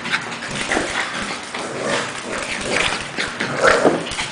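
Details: Pekingese named Cash play fighting at home with Lebron, a two-month-old English Bulldog puppy; rough, raspy growls and snarls rise and fall in short bursts, with a sharp yip near the end and scuffling throughout.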